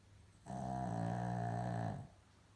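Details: A Maltese/Shih Tzu dog with a snoring problem, giving one long, rough, buzzy snore lasting about one and a half seconds, low and rich in harmonics, in a quiet room.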